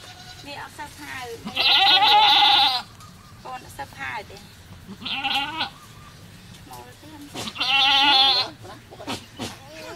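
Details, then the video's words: Bleating goat at a cow farm around the birth of a kid. Three strong, quavering bleats, the first and last longer, stand out over quieter murmured speech and rustling. "Goat Given Birth - Goat produce Baby"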